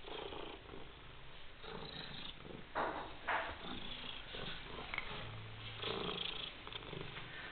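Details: A white European cat named Coniglietto purrs steadily, a low rumbling pulse with breathy, rhythmic swells and a few louder bursts near the middle, recorded indoors.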